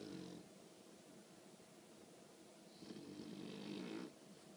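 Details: A 20-week-old female English bulldog puppy snores in her sleep, lately turned loud; one brief snore opens, then after a quieter stretch a long rasping, fluttering snore lasting over a second.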